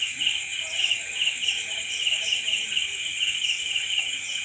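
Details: A chorus of crickets at night, with rapid high chirps pulsing steadily under an even, piercing trill and no pauses throughout.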